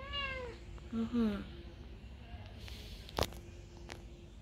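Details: Kohfie, a semi-toothless female cat, howling outdoors before dawn after catching a mouse. Two short wavering wails fall in pitch at the start, then a low hum, a sharp click and faint voices.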